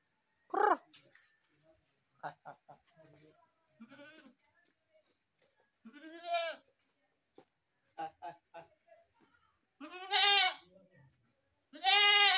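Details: Goats, described as baby goats, bleating in several bursts of varied length: a short cry near the start, quieter broken calls in the middle, then two loud, harmonic, wavering bleats at the end, with soft scattered sounds between them.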